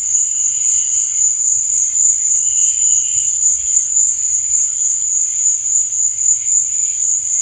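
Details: Crickets at night keep up a bright, rapid, pulsing trill at a constant high pitch, with a few fainter chirps mixed in and dim low noise.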